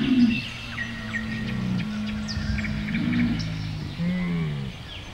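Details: Camel giving a low, drawn-out groaning moan with steady deep harmonics that wavers and dips near the end; small birds chirp and twitter faintly in the background.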